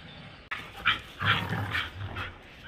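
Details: German Shepherd dog at play in Birgunj, producing a quick run of three or four harsh, clipped barks with a low grumbling undertone, after a sharp click at the start.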